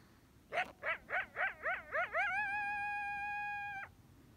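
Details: A friendly wild desert coyote, visiting trails between rain catchment ponds, gives a quick run of rising yips, then one long, steady howl as a greeting.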